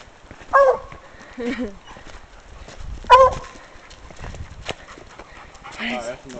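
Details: A female Bluetick Coonhound on a hike barks at a scent she has found: two sharp, short barks about two and a half seconds apart, with a man talking and calling to her in between.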